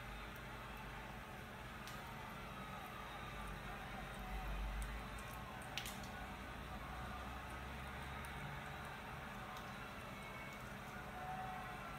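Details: Low indoor hum and soft squishing, tapping noises with a few sharp clicks; no clear animal voice stands out.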